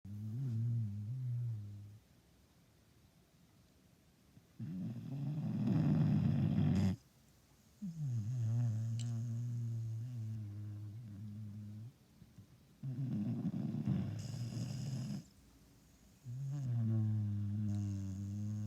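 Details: Female Istrian Hound, a Romanian rescue dog adopted in January at seven months old, snoring while asleep: deep, buzzy low snores in long drawn breaths, a few seconds each, separated by quiet pauses.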